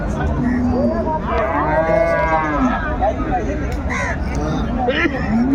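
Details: Cattle at Ambari weekly market, Dinajpur, Bangladesh, 17 January 2025, cows with calves: short overlapping moos and a rising bellow among crowd chatter and voices.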